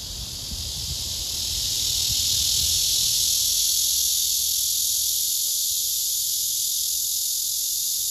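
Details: Male blackish cicada singing its courtship song toward a female that gives no response: a loud, continuous hissing buzz that swells over the first two seconds, then holds steady and high-pitched, with faint low rumble beneath.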